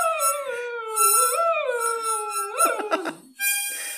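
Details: Cocker Spaniel howling along as its owner plays harmonica: a long mournful howl that dips and rises, breaking into short yelps near the end, with sustained harmonica notes underneath.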